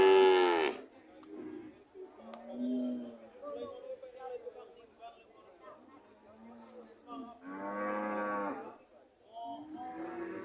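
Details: Several cows lowing: a loud moo cut off at the start, soft low moans and murmurs through the middle, then a strong drawn-out moo and another beginning just after.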